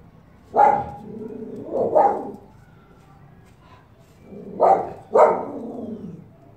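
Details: Female Norwegian Buhund recorded in Pakistan in 2018, giving four sharp, loud barks in two close pairs, the first pair around the first two seconds and the second near the fifth second, with quiet gaps between.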